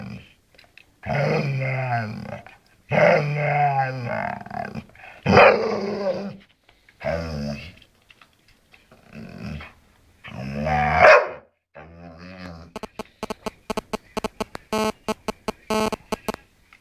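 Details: Chatty bull terrier telling its owner how it is: a string of moaning, grumbling howls of varying length with brief pauses, followed by a rapid train of clicking taps.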